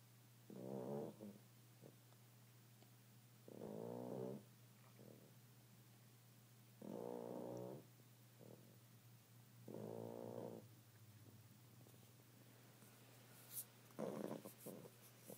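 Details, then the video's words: Tired bulldog puppy snoring in its sleep: five rough, rattling snore bursts spaced roughly three seconds apart, each about a second long, with quiet breathing between and a steady low electrical hum throughout. "Snoring bulldog puppy"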